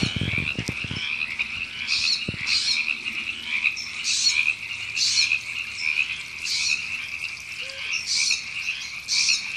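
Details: River frogs in April at Temescal Canyon Park, Los Angeles, California, keep up an unbroken trilling croak chorus. Harsher ribbit bursts surge at irregular intervals, and brief low knocking sounds open the recording.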